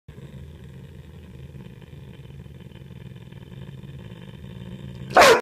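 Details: Angry Rhodesian ridgeback dog: a low, steady rumbling growl held for about five seconds, then one sudden, loud, sharp bark at the very end.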